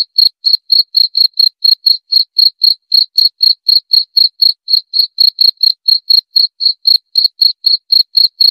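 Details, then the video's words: A steady cricket call: a continuous series of short, shrill chirps about four per second across the whole stretch, with no other sounds. "Suara Jangkrik"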